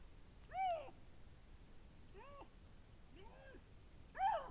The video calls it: lynx_vocalizations